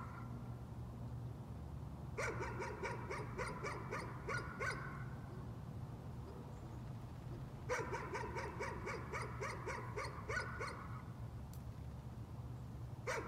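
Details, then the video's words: Dog's nuisance barking in two quick bursts of rapid, clipped barks, each burst lasting a few seconds and separated by a pause, with a steady low droning hum beneath throughout. "Nuisance barking again."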